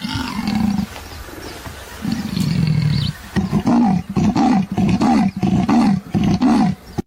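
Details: A leopard (Panthera pardus) gives a deep, drawn-out growl, then a rapid series of hoarse, rasping grunts like sawing wood: its sawing call.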